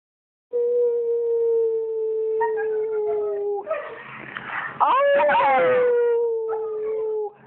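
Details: Aria, a female pet dog who seldom vocalises but howls back when her owner howls, gives a long steady mid-pitched howl that sags slightly, then a wavering, broken stretch before another sustained, gently falling howl.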